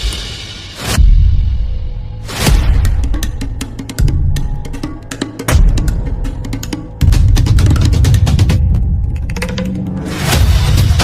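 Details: Deep drumming music with booming percussion hits fills the recording, and no animal voice is heard.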